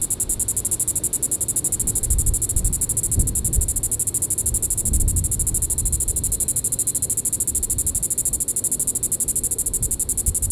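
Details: Diceroprocta vitripennis cicada at Sand Hills State Park, Kansas, calling in the evening of July 20, 2014. Sustained high buzzing made of rapid, even pulses continues throughout, accompanied by intermittent low-frequency gusts of noise.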